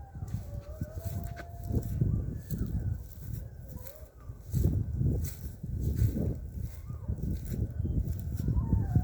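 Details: Coyotes heard near a fishing spot, giving wavering, drawn-out howling tones that rise and dip, over heavy low rumbling wind or handling noise.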